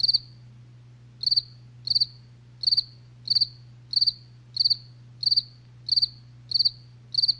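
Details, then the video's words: Crickets at night chirping steadily, each chirp a quick cluster of high, bright pulses, repeated about every two-thirds of a second, ten chirps in all, over a constant low hum. "SONIDO DE LA NOCHE | grillos relax"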